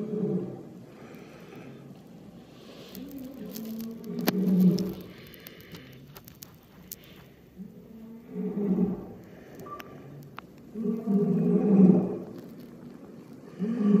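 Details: Amur tiger named Kirill, a captive animal aged 11 years 8 months, recorded on 23 February 2021; low, rough, harmonic vocal bursts arrive in three separate bouts about every four seconds, with faint clicks and scraping between them.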